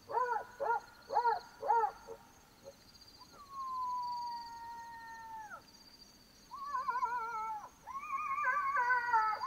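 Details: Black-backed jackal calling at night in Botswana: quick arched yelps, then a long, level wail that drops at the end, then wavering quavering cries. A constant high insect buzz plays behind.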